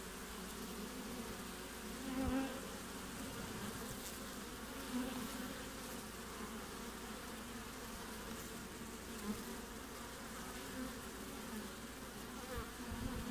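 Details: Honey bees at a hive entrance in Australian midwinter, late June, low continuous buzzing hum with steady droning bands and brief louder passes of bees flying close.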